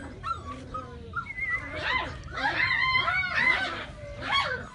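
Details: Several Golden Retriever puppies in Gujarat whine and yelp together. High, wavering whimpers overlap and rise and fall in pitch, with bursts of sharper yelps near the middle and end over a low background hum.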